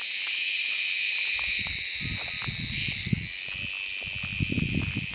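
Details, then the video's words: Summer cicada in wooded country, calling once the sun is up and the air is hot: loud unbroken shrill hiss, briefly dipping near the three-second mark, with low thumps and rustling below. "Ağustos Böceği sesi - Cicada voice"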